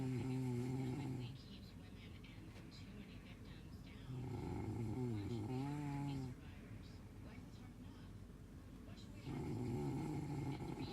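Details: Dog asleep, snoring steadily: three low, buzzy, wavering snores of one to two seconds each, about four seconds apart, with softer breaths between them.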